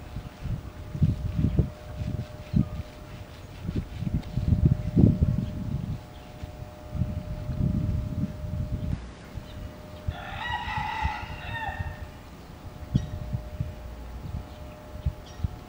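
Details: Japanese macaques at Tama Zoological Park, Tokyo, Japan, in February 2017. Around ten seconds in, one clear tonal coo-like call with rich harmonics lasts about two seconds. Low rustling and handling thumps fill the rest.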